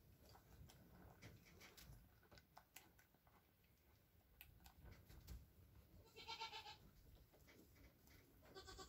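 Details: Hours-old Nigerian Dwarf goat twins, one male and one female kid born late on April 29th 2024, with their mother; a brief bright bleat rings out late, over quiet shuffling and faint ticking sounds.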